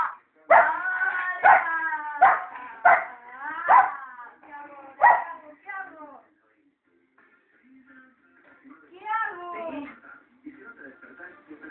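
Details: Furious female Cocker Spaniel barking in quick bursts of about one per second, then a quieter gap and a few whining, howl-like notes with faint background sounds.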